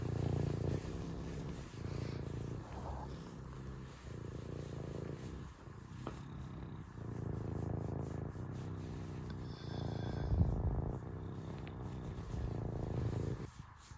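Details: Serval purring: a low, continuous rumbling purr in alternating swells about one to two seconds long, steady throughout, with a faint hiss in the background.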